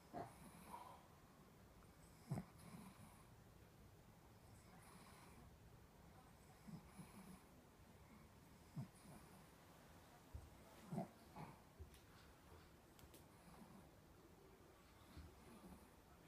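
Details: Elderly, fully blind 14-year-old Shih Tzu with terminal cancer and seizures breathes noisily, with low, irregular snorts and wheezy snoring puffs; recorded 28 October 2017.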